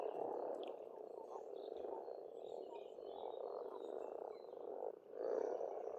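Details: Spring pond in Estonia with a mass of frogs croaking together, a steady rolling chorus that briefly dips near the end before swelling again, with scattered bird chirps overhead.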